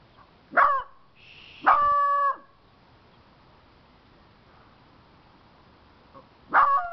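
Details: Puppies Daisy and Baxter, nearly five months old, at play outdoors in early April: three loud barks spaced a few seconds apart, one drawn into a brief yelping whine, over a faint steady background.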